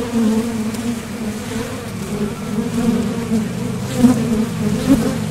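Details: Dense droning of honeybees flying in and out of a top bar hive entrance on nectar-gathering trips, a steady low hum with passing bees adding short louder whines.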